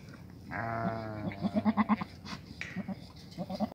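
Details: White improved-breed billy goat giving a low, harmonic, wavering bleat of about one second, then a run of short pulsed bleat notes trailing into softer bursts.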